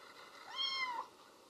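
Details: Baby kitten calling for its absent mother, one faint drawn meow of under a second that rises gently and falls away, with low steady background hiss.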